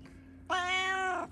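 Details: Indoor domestic cat in a Japanese home where a kitten plays with an older female cat: one long, bright meow lasting about three-quarters of a second, steady and rich in harmonics, after a person's soft talking.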